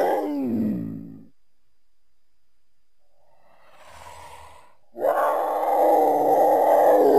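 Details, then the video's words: Cougar, also called mountain lion, giving a short harmonic yowl that dips and fades in the first second, then a breathy hissing rasp, then a loud, sustained, rich-toned wail over the final two seconds. "Mountain Lion (Cougar) Sounds"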